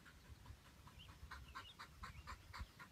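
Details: Dog panting during a structured game of fetch, a quick steady rhythm of soft breathy bursts about four per second, faint and airy, with low background rumble and a handler praising the dog between breaths.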